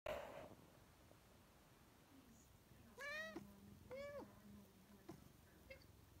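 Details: Scarlett, a talkative female Siamese cat, meowing to her owner for more kibble: two clear arching meows about a second apart, each bending up then down with rich overtones, then a short faint chirp, in a quiet room.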